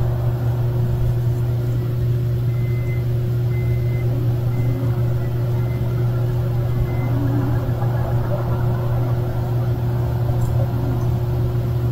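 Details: Steady low hum of an idling vehicle engine, with a short series of high electronic beeps in the middle and faint background murmur.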